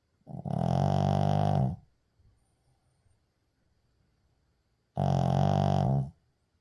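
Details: Sleeping Shih Tzu puppy snoring indoors, recorded 6 May 2024: two loud, low, buzzy droning snores, each about a second long, about four seconds apart with quiet breathing between.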